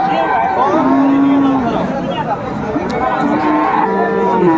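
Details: Cattle at Aftabganj livestock market in Dinajpur, Bangladesh, on 17 April 2024, where Friesian and crossbred bull calves are sold: a drawn-out, slightly wavering moo, with crowd chatter and a man's voice behind.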